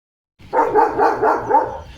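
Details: German Shepherd named Leo, a pet dog in India, in a hyper, playful mood, gives a rapid run of harmonic barks that merge into one another over about a second and a half, with light background noise.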